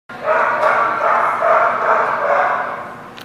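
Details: Dense run of overlapping dog barks at The Barking Lot, loud mid-pitched bursts merging into a near-continuous clamour for about three seconds, pulsing irregularly a little more than twice a second.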